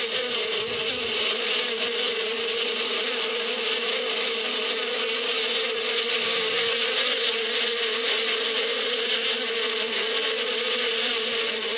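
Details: Bees buzzing in spring in the Arab desert countryside (badia): a steady, dense hum with a low droning band and a bright hiss above, unbroken for the whole stretch, with no other clear sounds.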